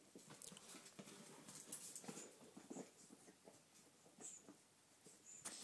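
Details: Playful 8-week-old litter of puppies tussling over a squeaky chicken toy: quick sharp yelps and squeaks in irregular clusters, mixed with piercing toy squeals and the clatter of small paws.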